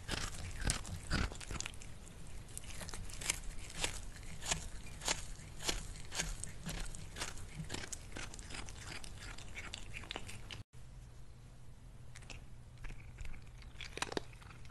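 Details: Crunchy eating by Lily the cat during lunch, loud dry bites repeated almost twice a second, a short break near the end, then softer chewing over a constant low drone.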